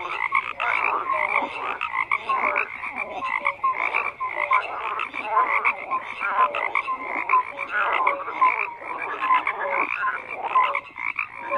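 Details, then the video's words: Frog chorus with croaks overlapping continuously, rhythmic pulsing calls and short clear tonal notes standing out from the mass of voices. "FROGS CROAKING"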